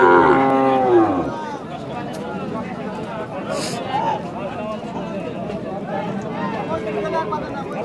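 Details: Holstein Friesian cow at a city cattle market in Rajshahi, Bangladesh, giving a short loud moo at the start, then crowd murmur and speech of people around.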